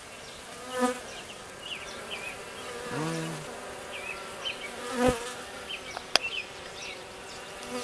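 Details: Western honey bee workers forming a mini cluster around a virgin queen: a steady droning hum from many bees, with louder buzzy passes swelling close by around one, three and five seconds, and a sharp click near the six-second mark.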